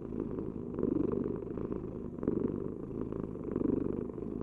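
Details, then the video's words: Purring house cat, a deep continuous rumble with gentle surges in loudness about every second and a half as the cat breathes in and out, recorded close up in quiet surroundings. "Heal with the ultimate cat purring vibration"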